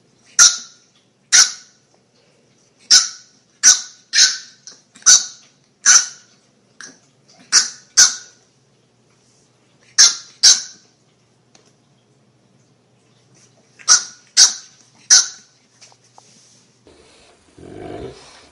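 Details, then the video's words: Dog in a funny compilation giving short, sharp, high-pitched barks or yaps in quick bursts, some paired, separated by brief silences, with a soft rustle at the very end. "Funny Dogs Barking"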